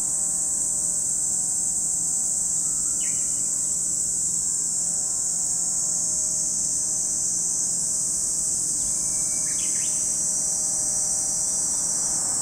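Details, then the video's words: Lakeside cicadas at Lake Kamo, Sado City, Niigata Prefecture, Japan, sustain a flat, intense high whine, while a few quick bird chirps sound around the third and tenth seconds over faint low humming tones. "Lake Kamo in Sado City, Niigata Prefecture, Japan, where you can hear the voice of cicadas."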